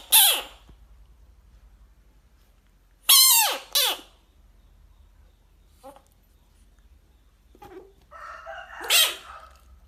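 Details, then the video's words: Bullfrog facing off with a dog lets out short, loud, downward-sweeping harmonic screams, one opening the clip and a pair near three seconds. A fainter, flatter buzzy sound comes later, then a final sharp scream. "funny bullfrog sounds"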